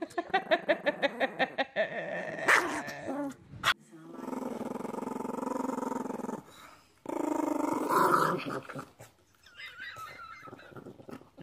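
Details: A dog voices its anger with a run of quick, rhythmic grunting pulses that turn into a long, harsh, rumbling growl, broken by brief gaps and a few thuds.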